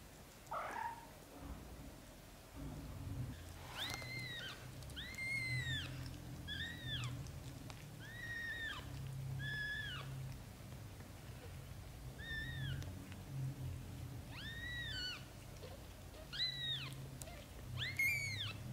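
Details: Newborn-to-month-old British Shorthair kittens mew insistently, a steady series of about a dozen high, arched cries roughly one second apart, over a low continuous hum and faint rustling.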